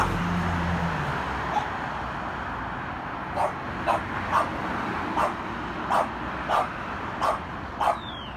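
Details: French Bulldog bullying and fighting with its brother: a run of about eight short, clipped barks, roughly every half second in the second half, over constant background hum and shuffling.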